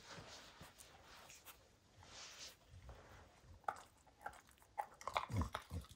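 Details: Max the dog tearing apart a baseball hide indoors, focused on the ball; irregular crunching and biting, quiet scuffs early, then louder clustered crunches in the last two seconds, about 160 bites a minute.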